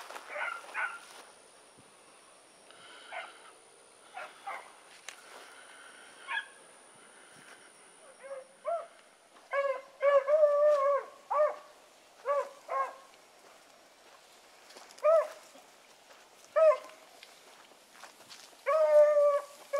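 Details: Dog pups in training with Sassy, Magnum, Ringo and Boone mix sharp barks with short rising and falling howls. The calls come in irregular bursts that grow louder and busier partway through, ending on a sustained howl.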